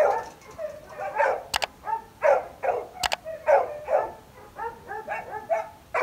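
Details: Labrador Retriever giving a steady, rhythmic run of mid-pitched, harmonic barks about every half second, with two sharp clicks cutting in between.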